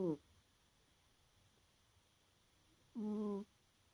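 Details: A sleeping, tired pet cat snoring in the early morning: one tonal, nasal snore tails off at the start, then a second buzzy, harmonic snore about half a second long follows three seconds later over quiet background hiss.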